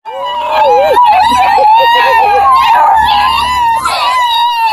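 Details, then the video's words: A litter of 10 Bluetick Beagle mix puppies near Kingston, Ontario, Canada, howls together in high, wavering, overlapping cries. "MUSIC of 10 Bluetick Beagle X puppies howling"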